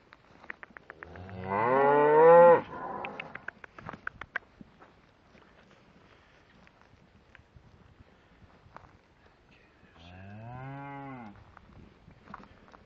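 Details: ['Shorthorn cattle, a herd of cows and calves being looked over. One loud, drawn-out moo starts low and bends upward, lasting about a second and a half. A softer, lower moo follows near the end. Quiet clicks and handling noises fill the gap.']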